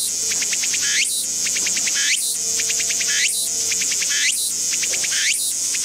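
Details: A Walker's cicada found singing in a garden sings in repeated phrases of rapid buzzy pulses, each ending in a rising sweep.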